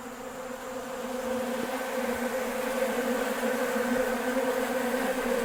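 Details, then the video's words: Honey bees crowding a bucket feeder of sugar water on a nice day, draining it within a few hours; a dense, continuous buzz of many wings that swells louder after the first second. "Sound That Honey Bees make"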